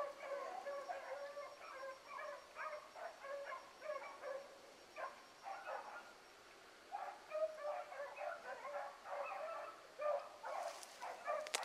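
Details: Pack of hound pups, among them Ringo, Mingo and Choco, trailing a rabbit one morning. Dense, rapidly repeated bays and yips pour out in bursts, briefly easing midway before the chorus resumes, with a scrape at the end.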